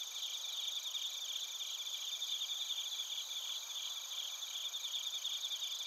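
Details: Chorus of bell crickets mixed with other crickets recorded in Narita, Chiba, Japan, using a TASCAM Portacapture X8: continuous shrill trilling in several stacked pitches, one strand beating in fast regular pulses throughout.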